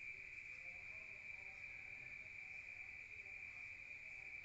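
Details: Crickets at night in the countryside, heard from inside a room: one steady, unbroken high trill holds a constant pitch throughout, with faint low murmurs underneath.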